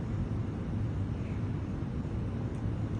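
A steady low rumble of engine or traffic noise fills the recording, with no animal voice.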